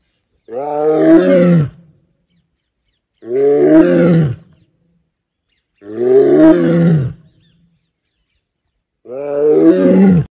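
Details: Tiger roaring four times in a row, each roar a deep, rough, harmonic blast over a second long, with short silences of about one and a half seconds between them.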